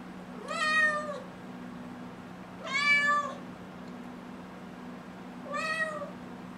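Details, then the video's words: Six-month-old kitten Nala meowing indoors because she wants to go outside: three drawn-out, harmonic-rich meows about two seconds apart, each slightly rising then falling, over a steady low hum. "Cute Kitten Meows to Go Outside"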